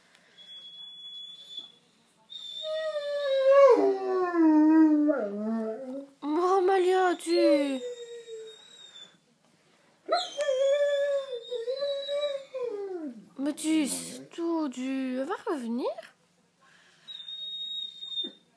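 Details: Malia, a female Great Dane, howls indoors after her owner leaves: long quavering harmonic wails that rise and fall, broken by short pauses, while a woman's voice softly hushes her in French.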